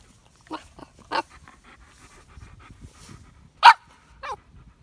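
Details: Samson, a Boxer puppy, during training: four short, sharp yelping barks at irregular spacing, the third loudest, with soft panting and shuffling between them in a quiet room.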